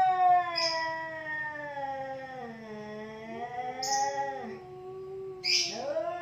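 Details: Pair of cats squaring off in a fight, one holding a long droning growl-yowl that sags lower and rises again, broken by short sharp hisses and a final loud screech.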